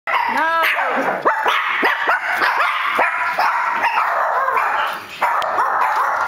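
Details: Chihuahuas give a rapid run of high, sharp yapping barks at a person coming through the door.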